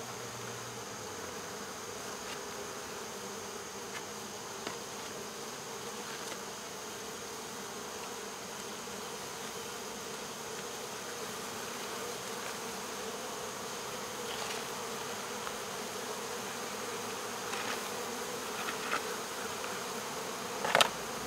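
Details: Honey bee swarm, taken from local baseball fields in August 2014, humming inside a covered box while finding its place; an even, continuous drone throughout, with faint ticks and a sharp knock near the end.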